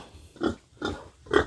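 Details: Pig in a backyard farm pen, one being raised as a future breeding sow, giving three short, low, rough grunts spaced about half a second apart, with a quiet background between them.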